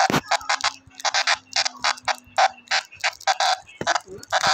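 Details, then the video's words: Brown cicada screaming: harsh, buzzy, broadband bursts pulsing in quick uneven runs, roughly fifteen loud pulses over four seconds, with a faint steady low hum underneath during the first half. "Brown Cicada screams"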